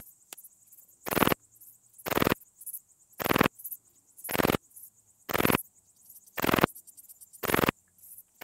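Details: Graceful bush-cricket (Pachytrachis gracilis), Vela Ucka in Croatia, 30 July 2023. Eight dry, rasping chirps repeat steadily, about one per second, each lasting a fraction of a second, separated by near silence.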